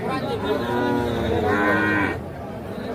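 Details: {'text': 'Calf at the Ambari cattle market in Bangladesh on 28 March 2025 lets out a harmonic, bleating moo that swells and then breaks off after about two seconds, with market voices and background music throughout.'}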